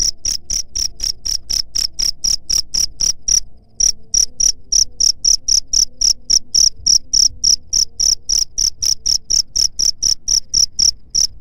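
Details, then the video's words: Cricket sound played to drive away rats: high, shrill chirps repeated steadily about four times a second, with one short break near the four-second mark and a faint low hum beneath. "SUARA JANGKRIK PENGUSIR HAMA TIKUS"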